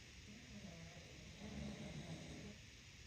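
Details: Sleeping bulldog in New York City snoring: a low, rough rasping swell that builds midway through and fades again, over a steady background hiss.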